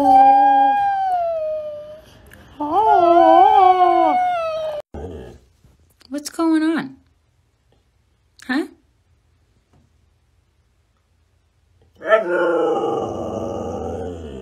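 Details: Siberian Husky giving drawn-out, wavering howls, each about two seconds long with a bending, rising-and-falling pitch. Short yelping bursts follow, then quiet gaps, and a final loud howl starts near the end.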